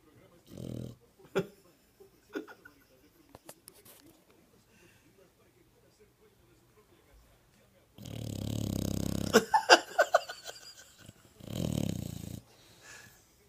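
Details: Dog snoring with its eyes open indoors: short, low, rasping snore bursts, one near the start and longer ones later, separated by quiet breathing pauses, with a person speaking softly.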